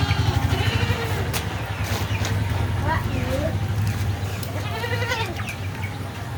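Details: Beetal goats at Zam Zam goat farm in Roorkee bleating several times, with short, quavering, nasal calls spread across the clip, mixed with people talking and a constant low mechanical drone.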